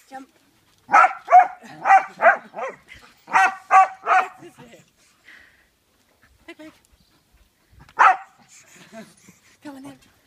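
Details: Peggy, a Kerry Blue Terrier, having fun on a trampoline: a quick series of loud barks, about four in a row, a pause, then three more, followed by quiet rustling and one last bark.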